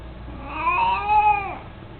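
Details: Mico, a chubby, mostly blind 18-year-old cat with his beloved toy mouse, utters one long mew lasting about a second. The tone holds steady, then drops off sharply as it ends.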